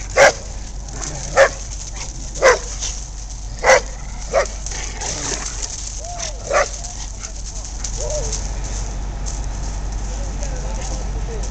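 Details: Poodle tormenting an American Bulldog indoors: a series of sharp single barks about a second apart, several in a row, then softer whining and yipping over a steady low hum.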